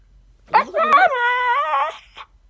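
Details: Siberian Husky giving a short vocal howl: a yelp that swoops up into a wavering, held tone lasting over a second, then a brief final yip.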